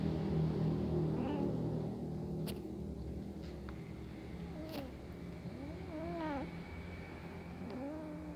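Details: Hungry kitten watching a pair of cats eat together; arched, harmonic meows near the end, one around six seconds and another trailing off, over steady low background hum and a few clicks.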